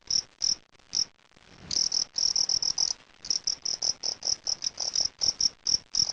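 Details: Fighting cricket (jangkrik aduan) heard during a sound test: sharp, high, metallic chirps that come singly and in quick clusters, running almost without pause across the whole recording, with faint low thumps underneath.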